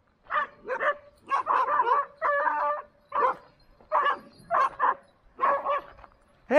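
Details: Pet Standard Poodles near Ketchum, Sun Valley, Idaho, described as friendly but noisy, give loud repeated barks in short bursts of two or three, with harmonic, slightly whining tones between them and brief pauses.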